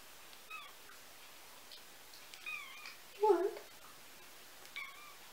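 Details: Nineteen-day-old kittens mewing, with a mother cat nearby: thin high meows, some falling, others with a wavering rise, spaced irregularly over several seconds, one louder and lower meow near the middle, faint voices in a quiet room.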